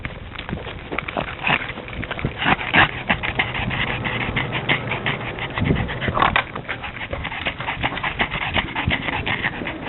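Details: Pet pug, a female, overheated and disliking the heat before running to the doggie door; rapid raspy panting and snorting breaths throughout, with brief wheezy squeaks mixed in.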